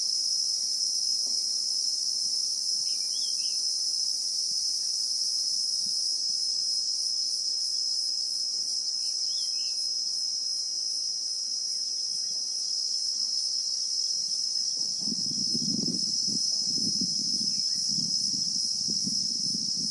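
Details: Christmas beetles (Anoplognathus) singing in South African bushveld, unedited real time: a constant shrill high-pitched whine, brief faint bird twitters early on, then a low rumbling of wind or handling over the last five seconds.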